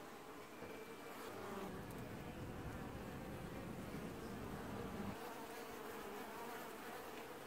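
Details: Honey bees wash-boarding at the only such colony in an apiary, early July 2019; a thick buzzing drone that swells into a low roar around the middle, with a single bee's thin whine near the start.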